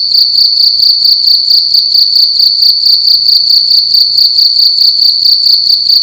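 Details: A cricket chirping loudly at night inside a room: a steady, high, shrill trill pulsing in rapid regular bursts, about two chirps per second, with no other sounds.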